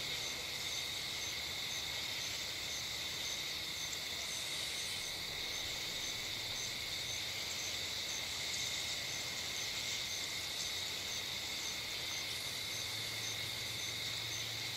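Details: Insects calling from bushes and trees on a summer night by a dirt-road driveway under a streetlight: a steady, dense high-pitched buzzing drone with bands of trilling, unbroken throughout, over faint low background rumble.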